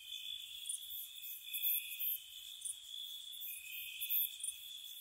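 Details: Crickets chirping on a spring night outside a cottage, a steady high-pitched trill with bright pulsed bursts recurring every second or so, several insects overlapping, soft low rumble beneath.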